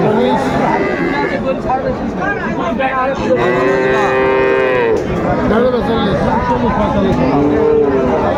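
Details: Friesian and crossbred cattle at Raniganj haat, Dinajpur, on 2 May 2024. Mid-clip, one long, rich moo rises and falls, with shorter bellows around it, all under constant market chatter.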